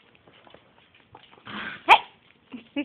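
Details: Pit bull rescue foster puppy Blueberry playing with dogs Margo and Fritz indoors on a rainy day; short growly yelps build to one sharp loud bark, then two brief grumbling yips.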